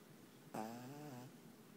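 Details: Asleep indoors, the black pug Panpan gives one drawn-out snore lasting under a second. It opens sharply, then a buzzy, reedy tone holds steady and fades, against a faint room hiss.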